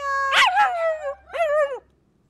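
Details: A Cocker Spaniel, asked to call another dog, "tries to talk" with a short, wavering howl in two voiced bursts, almost like speech.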